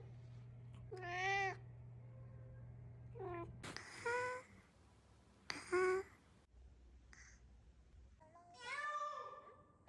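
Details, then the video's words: Cat making short, varied meows and chirps, spaced irregularly over several seconds, with a low steady hum in the background at the start. "What does your cat sound like"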